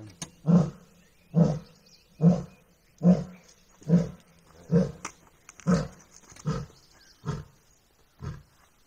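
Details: Asiatic lion in the Gir jungle of Gir National Park, giving a series of deep, grunting roars, about ten low pulses spaced roughly a second apart, each fading slightly toward the end of the sequence.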